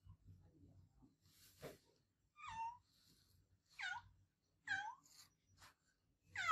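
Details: Loud meowing from an adopted domestic cat: four drawn-out meows that slide downward in pitch, roughly one each second, over faint low bumps and rustles.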